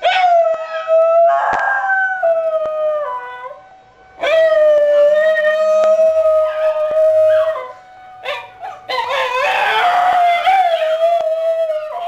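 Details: Basenji named Bruiser howls along with a tornado siren tested every Friday at a fire station down the road. Long sustained howls bend up and down in three bursts, with brief quiet gaps, over the siren's constant tone.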